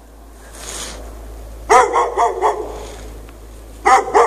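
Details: A dog left chained out in the snow at night with no shelter, 3 March 2014, barking from 8 PM on. A rapid run of four sharp, harsh barks is followed by two more after a short pause, over a steady background hiss.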